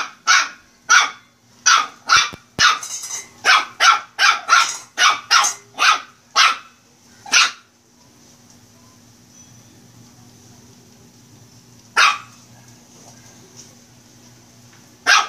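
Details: A pet Shih Tzu puppy at play lets out a long burst of rapid, high-pitched yaps, some doubled, then goes quiet with background hum before two lone barks near the end.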